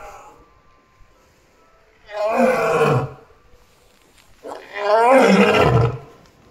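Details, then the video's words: Amur tiger Choco, a 16-year-9-month-old female, the oldest Amur tiger in Japan, at Kushiro City Zoo on 15 March 2021 around 11:45, giving two loud harmonic roars about two seconds apart, each falling in pitch. "釧路市動物園 アムールトラ 🐯チョコ"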